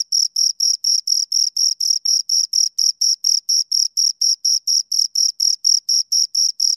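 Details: Shrill rhythmic chirps from two nearby crickets, repeated steadily about four times per second, each pulse a brief buzzy scrape; quiet surroundings otherwise.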